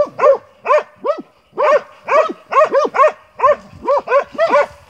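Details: A Montenegrin Mountain Hound from kennel 'Sutorman' baying on the hunt, steady arched barks repeated roughly twice a second with short gaps, a second voice occasionally overlapping.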